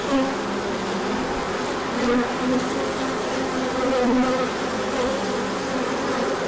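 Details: Orientation flight of many bees as the sun emerged after a cold period in March 2024; a constant drone of wings, punctuated by short, higher-pitched buzzes of individual bees flying past.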